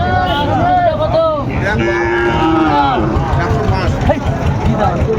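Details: Sahiwal bull calves at a cattle market near Dhaka, Bangladesh, on 3 February 2025, lowing with drawn-out, wavering moos that rise and fall over steady crowd chatter and background hubbub.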